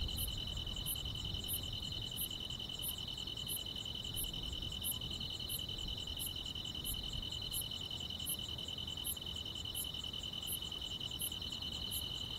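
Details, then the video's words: Quiet countryside summer night filled with grass insects: a constant piercing trill plus crisp chirps repeating roughly every 0.6 seconds, with little background rumble. "여름밤의 포근한 풀벌레 소리"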